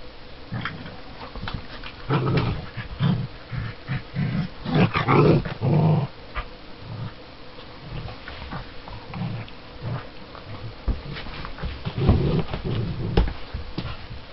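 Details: Two dogs at play, a Border Collie puppy and a seven-year-old Border Collie–Springer Spaniel cross: bursts of low rough growling, short snarls and scuffling, loudest in the middle, then quieter intermittent growls and rustling movement.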